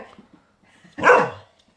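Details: Elsa, a four-month-old Golden Retriever puppy, barks indoors while reacting to her own videos: after a few soft muffled sounds, one sharp, loud single bark bursts out near the middle, then silence.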